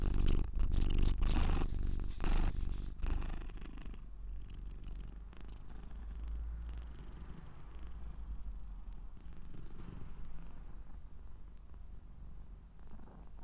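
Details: Scottish Straight cat purr: rough handling noise covers the first few seconds, then a soft, even, low purr carries on steadily to the end.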